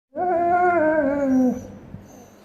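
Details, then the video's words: A Dobermann gives one drawn-out howling whine lasting about a second and a half, steady then sliding slightly downward before cutting off, with a faint hum in the background. "Funny noises that a doberman makes"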